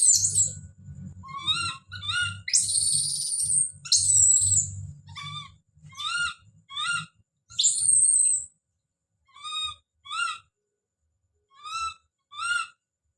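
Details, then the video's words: Baby monkey named Don calling out, giving repeated short, harmonic cries that bend up and down, broken by several harsh, noisy screams near the start and middle, with a low rumbling background through the first half. "The sound of baby Don's scream as he called out"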